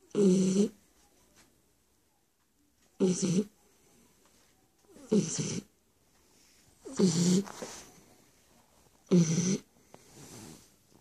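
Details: Stefani, a Shar Pei, snores steadily: five loud, gravelly inhaled snores about two seconds apart, each with a droning low tone and breathy hiss, separated by quiet gaps.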